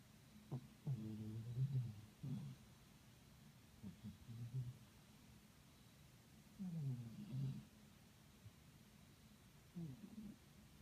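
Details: A sleeping cat snoring indoors, low raspy breaths in irregular bursts roughly every one to two seconds. Some breaths come as doubled grunting pulses, with quiet room hiss between them.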